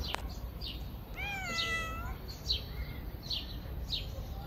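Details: Stray cats being fed on a river bank; one clear drawn-out meow rising then falling, with shorter, fainter mews before and after it over a steady outdoor background rumble.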